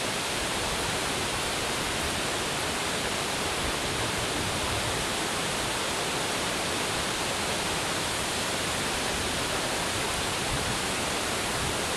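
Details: Steady, even broadband hiss like rushing water or static fills the whole clip, unchanging from start to end.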